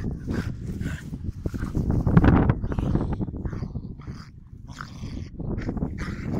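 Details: Dogs play fighting, no animal harmed: dense low rumbling growls mixed with snarling bursts and scuffling, rising to a loud peak around the middle before easing into softer grumbles and yips.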